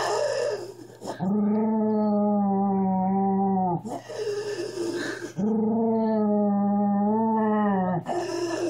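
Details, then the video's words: A Miniature Schnauzer gives long, steady, tonal howling moans, each lasting a couple of seconds; the owner calls it growling. "My Miniature Schnauzer Growling Part 1"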